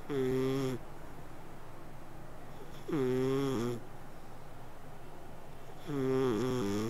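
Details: Cat sleeping while it snores and purrs: humming, nasal breaths under a second long recur about every three seconds, with near silence between them.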